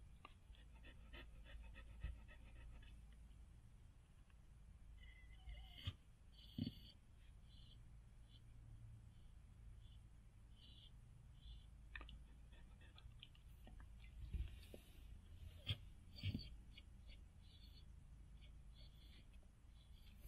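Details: Standard Poodle Gabbana in labor, giving birth to seven healthy puppies indoors. Quiet, rapid rhythmic panting, clearest as a quick run of breaths in the first two seconds, then softer breathing under a low steady hum with a few faint clicks and knocks.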